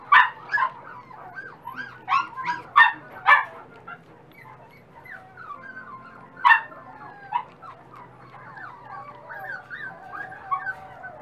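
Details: Young dachshund pups give loud yips and squeals in quick bursts, then drawn-out wavering whines, several voices overlapping, with a faint steady hum in the background.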